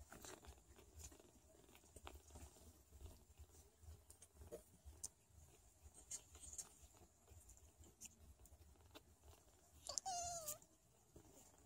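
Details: Sphynx cat family indoors, a mother named Chikita Mantra talking to, nursing and caring for her meowing kittens; soft rustling and suckling-like patter give way to one loud, wavering, harmonic-rich meow near the end.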